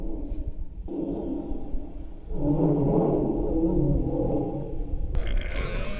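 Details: A tiger's deep, rumbling roar swells and holds for a few seconds, then cuts off sharply; played back to wild boars, this roar made them freeze, and some fled into the mountains.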